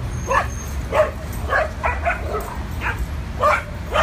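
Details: Adopted dogs playing at a New York City dog park on their first visit, giving short sharp barks and yips in an uneven run, roughly two a second, over a low rumble of city traffic.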